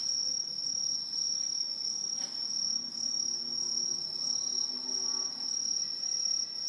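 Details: A dense autumn chorus of Aomatsumushi green tree crickets, an introduced species living high in trees in Japan, a shrill, unbroken high-pitched ringing from many singers.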